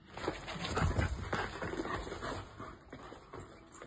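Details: Dogs fighting during a training session: a cluster of loud, rough, harsh bursts in the first second and a half, then quieter scattered scuffling sounds trailing off.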